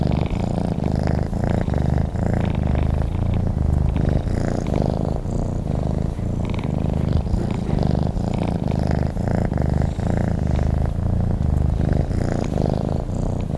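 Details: Domestic cat purring while sleeping: a steady low rumbling purr, rhythmic pulses alternating with each breath in and out, continuous throughout with no other sounds.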